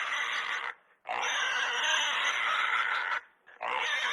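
A pig gives loud, harsh squeals, each held for about a second or two with brief pauses between.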